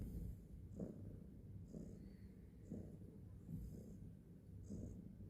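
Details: Quiet cat purr with a low, grainy rumble and soft swells near each second as the animal breathes in and out, over light background hiss.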